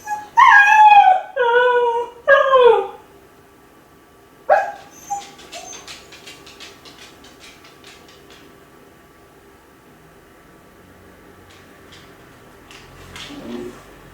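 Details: Kai Ken named Ichi, left home alone and lonely, howling as if calling the family to hurry back: three wavering harmonic howls in the first three seconds, a short cry near 4.5 seconds, then faint scattered noises.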